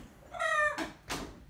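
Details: Young ring-tailed lemur kept as a household pet, giving a good-morning call while waking his brother and sister: one clear tonal, meow-like note with a strong rising-falling contour, then two short broadband thumps.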